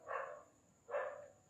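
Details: Indian desi dog puppies, nearly four months old, give two short high yapping barks about a second apart, with a faint steady electrical whine behind them.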